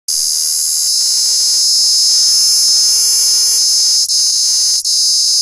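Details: Cicada calling, a loud continuous buzzing drone held steady for several seconds with two brief dips near the end, high-pitched and shrill throughout.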